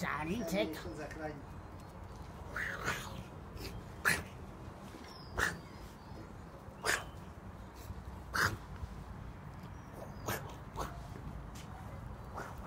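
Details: Six-week-old Tibetan Mastiff puppies playing, giving short, sharp yipping barks, one about every second and a half.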